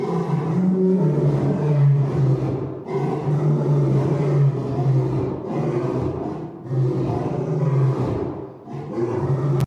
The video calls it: African Lion Several Roars (2) Sound Effect